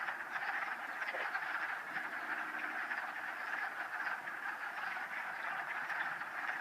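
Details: A vernal pool near Town Park in Old Saybrook, Connecticut, in mid-March 2013, where wood frogs cluster in a mating ball. Many frogs croak at once in a thick, steady, raspy wall of sound, with a faint low hum near the start.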